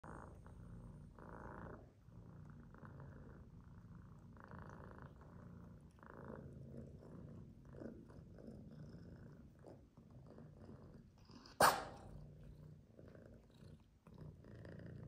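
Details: Domestic cat grooming a kitten, an adult black-and-white shorthair male with a British Shorthair male kitten, indoors; a steady low rumbling purr runs throughout in pulsing waves, with one sharp brief click near the end.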